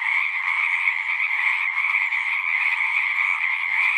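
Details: A dense chorus of singing frogs, countless overlapping croaks forming a constant buzzing hum with a bright high band, steady loudness, a faint low thump near the end.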